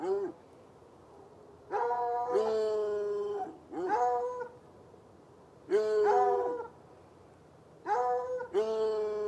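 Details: Saturday-night baying from two chained hounds, one white and one dark-coloured, heard from across an irrigation ditch about 10 yards away; long, harmonic, slightly falling howl-barks overlapping in clusters, separated by short silences.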